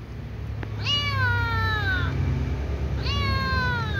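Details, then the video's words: Ginger kitten meowing at night, asking to be fed, with her family nearby: two long harmonic meows, each starting high and sliding slowly downward, about two seconds apart, over a steady low hum. "Ginger kitten meows at night asking to be fed with her family"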